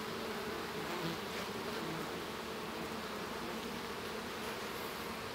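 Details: Continuous buzzing drone of honey bees within a hive while a baby bee emerges from its cell, an even, unbroken hum of many insects with no pauses.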